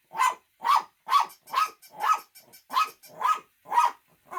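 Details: Shih Tzu barking in a steady run of about nine sharp, loud barks, each about half a second apart, with short silent gaps between them.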